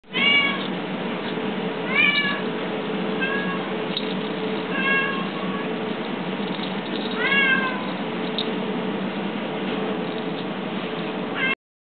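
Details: Talkative, curious eight-month-old neutered male black Domestic Shorthair cat awaiting adoption, giving short harmonic meows about every one to two seconds, some rising then falling, over a steady background hum and hiss.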